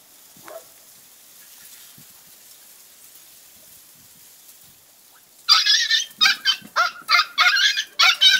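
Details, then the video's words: Two-month-old female Podenco puppy in a paddock: near silence with one faint yelp, then a sudden run of rapid, high, harsh yapping barks, about one and a half per second, to the end. "Cachorra podenco de cuevas en el picadero con 2meses"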